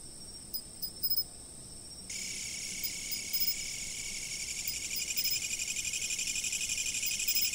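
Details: Insect sounds from a fixed-position camera; thin steady ringing with a few ticking chirps, then after two seconds a louder, rougher pulsing trill swells in and fills the upper range.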